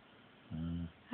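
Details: Female pet dog snoring in her sleep indoors, a human-like snore: one low, buzzy, droning snort lasting about a third of a second, steady in pitch, after near silence.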